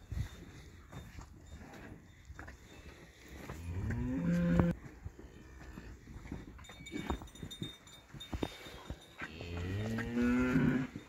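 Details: Montafon cattle on a livestock farm, two short lowing moos with clear tonal harmonics near the fourth and tenth seconds, set against steady background noise and scattered knocks.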